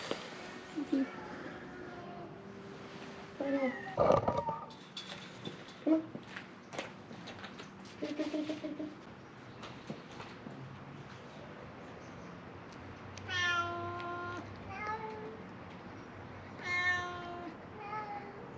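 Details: Feral cats at Mare Island Naval Shipyard, Vallejo, California, crying for food; after clattering and coaxing speech, two clear, loud harmonic meows near the end, each about a second long.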